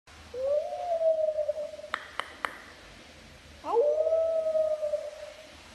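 A puppy gives two drawn-out, wavering howls, its thin voice rising briefly and then holding steady.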